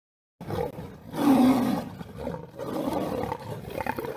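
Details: Lion fighting a tiger: a deep, rough roar swells after a brief silence, holds a low tonal growl for about half a second, then breaks into ragged, throaty snarls and grunts that continue unevenly to the end.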